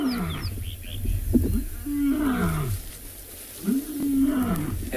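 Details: Distant lions call at sunset on 24 October in the Tswalu Kalahari Reserve, South Africa, with deep, drawn-out moans that slide downward, each lasting over a second; a lioness rises and looks toward the sound.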